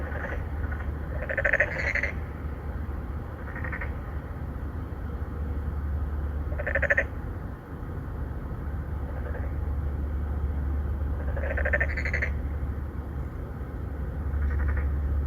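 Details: Courting male narrow-mouthed frogs, three or four of them, in an apartment-complex pond, Songdo, Incheon, Korea, 2019, Galaxy Note 9 recording; short buzzy pulsed croaks repeated every few seconds, sometimes doubled, above a low droning background rumble.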